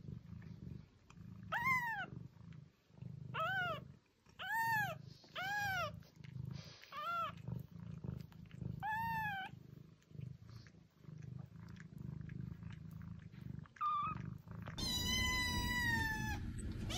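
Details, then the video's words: A domestic cat gives a run of short, bent meows, repeated roughly every second, then a pause and a final long, drawn-out, strident meow, all over a low rumbling background. "Attract your cat - Meows to call cats"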